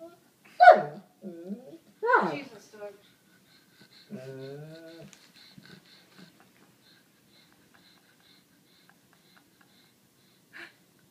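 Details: Sadie, a 7-year-old white Labrador Retriever, complains indoors while begging for attention and trying to get a black pug to play. Three short, moaning, rising-and-falling vocal bursts come in the first five seconds, then near quiet with faint clicks.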